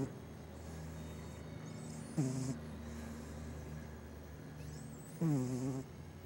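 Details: Cat asleep and snoring, two rough, buzzy, slightly falling breaths about three seconds apart over a low steady hum, with faint high sliding whistles behind.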